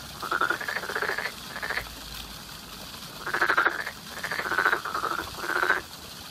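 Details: Frogs croaking in spring: grating, rapidly pulsed calls in clusters of two or three, separated by short quiet gaps, with faint hum underneath.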